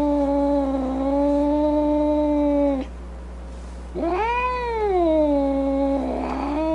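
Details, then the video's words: Upset domestic cat holding a long, steady, low moaning yowl for nearly three seconds, a short pause, then a louder, rising and bending howl that dips lower before ending in a rough, snarling edge. "Cat Angry Sounds | Cat Snarling, Cat Hissing, Cat Moaning | Angry Cat Sounds"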